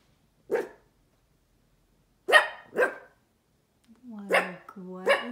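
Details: A Cavalier King Charles Spaniel puppy, not typically a barker, gives sharp, isolated barks while staring at nothing, with a person speaking between them near the end.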